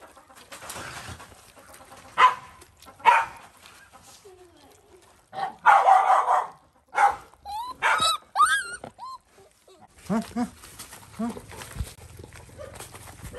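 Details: Stray dog in Cambodia, a mother protecting her puppy at feeding time on a farm: scattered sharp barks, then a rapid run of short yelping barks, followed by thin whimpers over a low steady hum.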